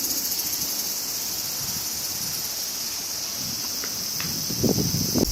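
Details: High, continuous cricket trilling during summer in Japan, a thin steady shimmer over soft wind and rustling leaves, with several louder low gusts toward the end.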